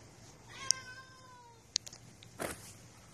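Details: Stray cat ignoring a homeowner's repeated attempts to wake it; one soft, drawn-out meow falling in pitch, followed by a couple of sharp clicks and a brief rustle.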